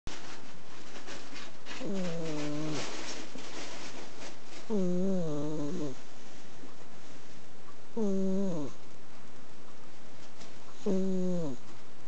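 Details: Penny, an Exotic Shorthair cat, snores while asleep on a futon beside a person. Four voiced, groaning snores come about every three seconds, each a harmonic buzz that sags downward in pitch at its end. Quiet room between breaths.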